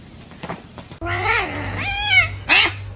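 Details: Kitten meowing: a drawn-out wavering meow, then a shorter rising-falling meow and a sharp final cry, over a low steady hum with faint speech at the start.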